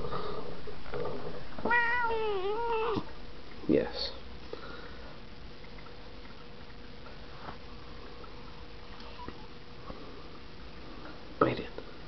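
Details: Pet cat in a small room, mid mood swing; a wavering, wailing meow lasting over a second, then scattered short mews and thumps, with a person talking to the cat.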